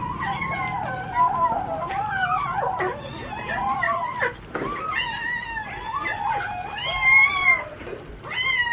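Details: Hungry cat eating fish alone and not sharing its food with its mother; a dense run of overlapping, drawn-out meows that rise and fall, nearly continuous for about nine seconds with only short gaps.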